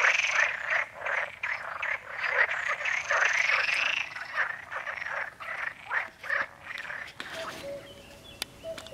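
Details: Perez's frogs (Pelophylax perezi) croak in rapid, rattling bursts in a busy, harsh chorus around San Antolín pond, Goikomendi, Zamudio, on May 7, 2020; an unseen common cuckoo also calls, and music is added.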